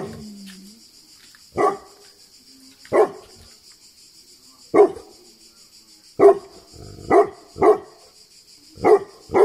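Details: Tibetan Mastiff in Greece giving deep single barks, about eight in nine seconds at uneven gaps, some in quick pairs, over a steady high-pitched background whine.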